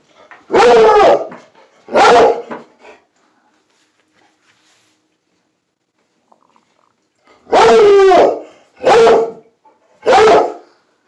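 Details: Squirrel-loving Plott hound mix baying after spotting a squirrel: two loud howling bays, a pause of several seconds, then three more in quick succession, each short and slightly falling, with an owner encouraging the chase.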